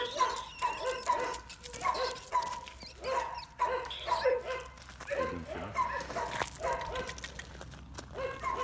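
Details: Young working Bull Terrier worked up over a rat: high, nasal yelps repeated roughly every half second in a steady series, then looser whining barks toward the end, with scuffling noise behind.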